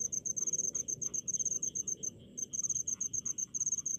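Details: Crickets chirping in rice fields in the countryside: a high, pure pulsed tone in rapid chirps, grouped in bursts with brief gaps, over a faint low rumble and some softer mid-pitched insect ticks.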